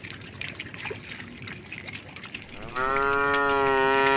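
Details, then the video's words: A tame cow on a forest-side road, crossing a puddle. Soft rustling and faint background noise fill most of the time, then one loud, steady moo begins near the end and carries on. "suara sapi lucu jinak yang sedang melewati genangan air di sebuah jalan pinggir hutan"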